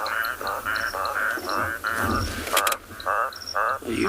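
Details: Unidentified toad species calling in grass close to a safari vehicle at night, South Africa, 28 January 2021: short nasal notes repeated roughly every half second, with one sharp clatter midway and soft background chirps.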